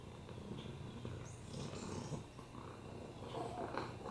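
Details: Male rescue cat with a broken hip, upper respiratory infections and FIV, purring while resting on a lap; steady low rumbling drone throughout, with faint rustling and soft room noise.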